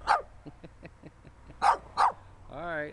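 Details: A little dirty dog gives three short, sharp barks, one at the start and two close together later, followed by a person talking.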